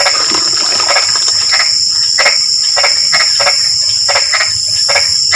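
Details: Frogs calling during drizzling rain: short, harsh croaks repeated irregularly, roughly one or two per second, over a continuous high, steady insect drone.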